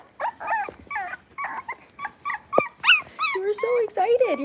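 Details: Blenheim Cavalier King Charles Spaniel puppies, six weeks old, in a home puppy pen; tonal whines and yelps with rising and falling pitch, mixed with human speech.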